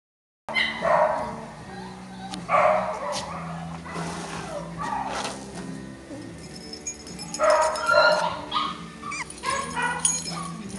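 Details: English Cocker Spaniel puppies raised at a kennel: scattered high yips and whiny yelps in short clusters every few seconds, with a person talking in the background.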